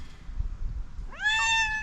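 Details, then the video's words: After a quiet stretch of low rumbling, a cat angered by another cat breaks into a rising, harmonic-laden yowl. It climbs sharply, then holds level until the end. "Crazy cat got angry at the other cat"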